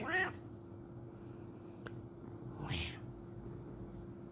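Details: Bengal cat meowing a greeting in the morning: one short, rising-then-falling tonal meow at the start, a softer breathy sound near the end, and a steady low hum throughout.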